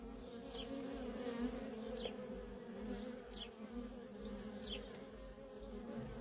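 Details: Worker honey bees streaming in and out of a feral colony make a continuous layered hum, low bands holding steady while short descending high squeaks appear several times.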